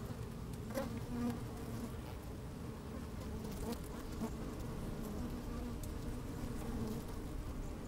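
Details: Honey bees busy at work inside an opened hive on a fine, sunny day, microphone slid down among them: a steady low hum banded near 250 and 500, brief brighter buzzes, soft clicks of moving bees.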